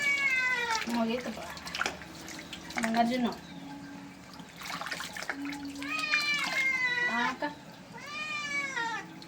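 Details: Bathing cat giving a run of short-to-medium complaining meows, some sliding down sharply, separated by brief gaps, amid background music, a talking person and water sounds.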